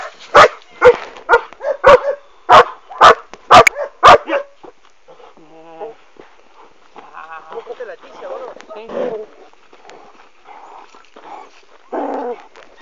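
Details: Working-line German Shepherd puppies, the litter of Boris Solidblack and Tisia de la Senda, give a quick run of sharp, evenly spaced barks for about four seconds. Quieter mixed sounds and faint voices follow.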